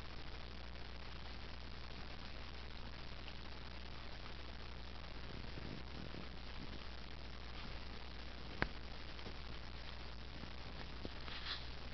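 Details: Quiet indoor room tone with a steady low hum, faint rustling and a single sharp click near the ninth second; no animal voice stands out.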